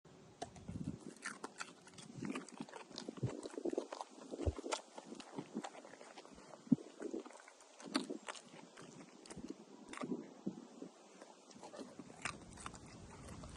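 A dog crunches and chews noisily, with wet, irregular bites and snaps following one another.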